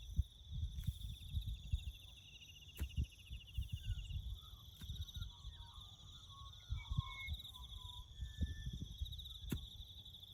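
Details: Bush crickets heard during farm road-building work: a continuous high pulsing chirr holds steady from start to end, while soft low rumbles, a few faint chirps in the middle, and sharp clicks sit beneath it.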